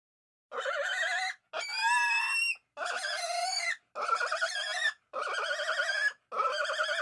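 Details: Pig squealing: six long, harsh, high-pitched squeals with a wavering, shaky tone, each lasting about a second, separated by brief silent gaps.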